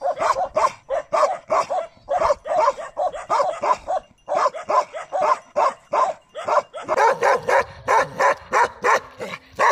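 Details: Bakarwal dog barking in rapid, nearly continuous bursts, short harsh barks following one another with brief gaps, growing sharper and more clipped toward the end.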